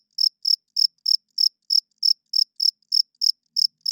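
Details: A cricket chirping loudly in the night, sharp high pulses spaced about three per second, slightly uneven in rhythm, nothing else audible.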